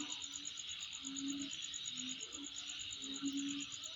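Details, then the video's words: Unbroken, rapidly pulsed high-pitched insect trill over a thick background buzz, while a lower drawn-out tone swells and fades about every second. "Sound Of Insect In My Place"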